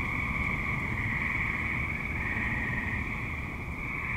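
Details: Active tree frogs in a suburb at dusk or night, a dense steady chorus forming a continuous buzzing trill high up with a lower humming band beneath, over a constant low rumble of distant traffic.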